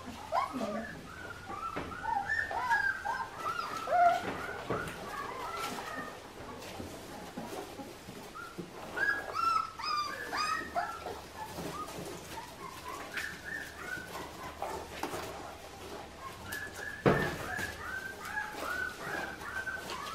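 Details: Clementine's Australian Shepherd puppies, a litter raised on an Oklahoma farm and ready to fly to new homes, fill the room with busy squealing and whining. Short pitched yelps overlap throughout, with faint background voices.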